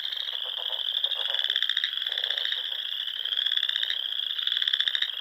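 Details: Chorus of frogs by small lakes in Nebraska's Sandhills during spring evenings: continuous shrill trilling with rapid pulses, lower rattling croaks breaking in between, no other sounds.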